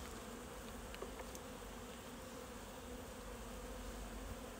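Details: Continuous whirring drone of a honey bee colony in its hive during a hot August inspection in Alsace, France; even, unbroken buzzing with a faint higher hiss and no other clear sounds.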